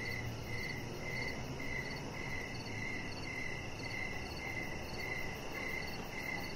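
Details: Crickets chirping outdoors in the evening beside a deck where a chihuahua puppy lies: steady high chirps repeated about twice per second, evenly paced over a low, constant background rumble.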